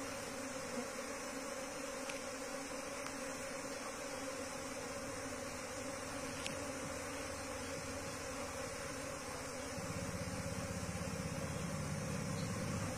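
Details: Wild Asian honey bee (Apis cerana) colony being moved into a hive box: a steady, dense droning hum of many bees with faint clicks, swelling into a louder low rumble over the last few seconds.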